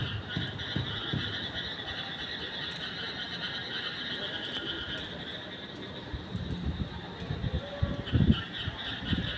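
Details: Frogs calling at night, their continuous chorus of buzzing trills holding at mid and high pitch, while louder low croaks and thumping bursts break in near the end.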